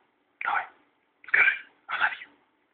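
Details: A Siberian Husky answers its owner's prompt to say "I love you". It gives three short, breathy, voice-like bursts at even intervals, each about half a second long, in a quiet setting.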